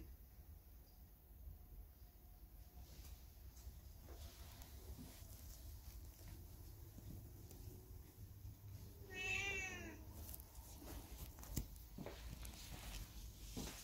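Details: Hae, a factory cat left alone after the resident big dog and puppies were suddenly taken away by truck, on a day of cold, gusty wind: one clear drawn-out meow rising then falling near the ninth second, over steady windy rumble and scattered knocks.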